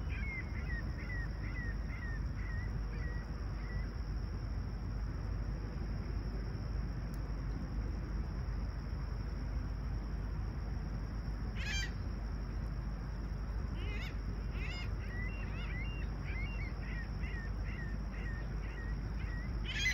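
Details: Crickets on a clear, calm summer morning at sunrise in Toronto's Humber Bay Shores, Tuesday July 28, 2020, 20ºC. They make a steady, unbroken high-pitched trill throughout. Birds give bursts of short repeated chirps over a constant low rumble.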